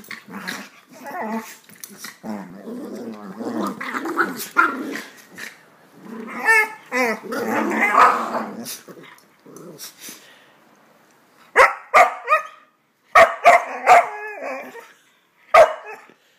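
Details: Wheaten terrier scolding a miniature schnauzer puppy after simple couch wrestling turned rough: long rumbling growls rise and fall, giving way to sharp barks and yelps in short bursts toward the end, with a person talking faintly.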